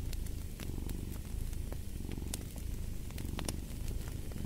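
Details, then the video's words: Deep continuous purring of a cat, a low buzzing rumble that swells gently, with frequent crisp snaps and crackles of a fireplace over it. "Fall asleep to the Purring of a Cat"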